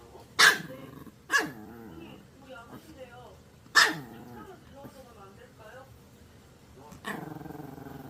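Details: Maltese pet dog giving a few sharp barks separated by softer growling and grumbling vocal sounds, with a person's voice in the background.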